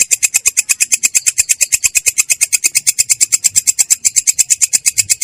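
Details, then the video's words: Ngerol song of a belalang kecek katydid, clear and rough in character: a shrill, evenly spaced pulse train, slightly slower at just over two pulses per second, steady across the whole stretch. "belalang kecek ngerol!!! suara jernih kasar"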